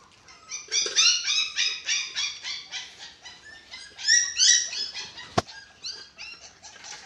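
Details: Hungry six-week-old dachshund pups at eating time, kept as pets, crying in fast, high, squeaky whines that rise and fall in pitch, with one sharp knock partway through.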